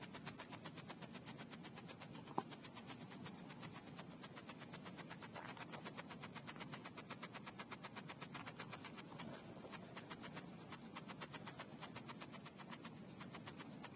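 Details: Crickets outdoors give a steady, very high-pitched pulsing trill, rapid even beats running unbroken for the whole stretch, with a faint low rumble underneath.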